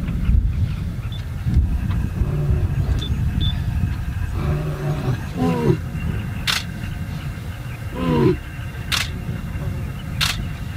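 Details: Male lions near the Chobe River, two young intruders challenging two older pride males: two deep, harmonic, downward-sliding grunting roars, one mid-clip and one near the end, over a steady low engine rumble with a few sharp clicks.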